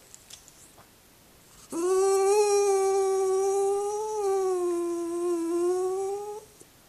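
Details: Jack Russell Terrier named Indiana singing a request to be let onto a lap: one long, steady, tonal howl held for nearly five seconds, slightly wavering and rising at the end, in a quiet indoor room.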